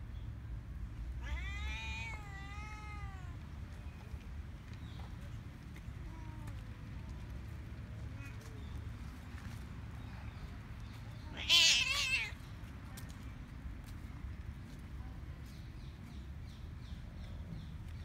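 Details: Cats and kittens crowding around people on Cat Island: a long wavering meow near the start, faint mews after, then a loud harsh squalling meow midway, over a steady low rumble of background noise.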